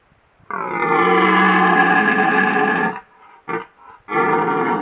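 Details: Stag red deer roaring during the rut in the Bolognese Apennines, Italy, recorded by a camera trap: one loud harmonic bellow of about two and a half seconds, then a short grunt and another strong roar.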